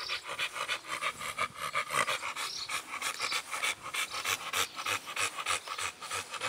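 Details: Blue Lexis of BBK, an American Bully, pants in fast, even breaths roughly three per second, the airy rasps steady across the whole stretch.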